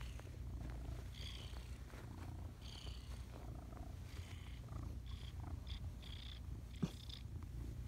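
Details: Pet cat kneading and snuggling in the morning, purring continuously in a deep, even rumble, with short bright tonal notes breaking in at irregular intervals and a single soft click near the end.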